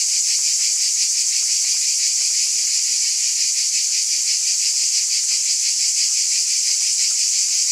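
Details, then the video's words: Loud continuous buzz of a cicada chorus, high and grainy with a quick rhythmic flutter, steady in volume from start to end and free of other noises. "Scintillating Cicadas"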